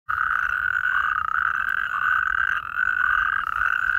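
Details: Natterjack toad (Epidalea calamita) from a rare population near Allendorf/Katzenelnbogen, Germany, recorded 22 April 2023, giving a loud, steady rattling trill that carries on without pause.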